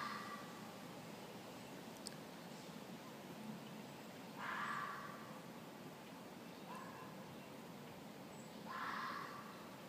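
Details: In spring in Maryland suburbs, a female red fox living in a neighbour's yard, about 100 ft away, gives harsh, hoarse bursts a few seconds apart against steady background hiss.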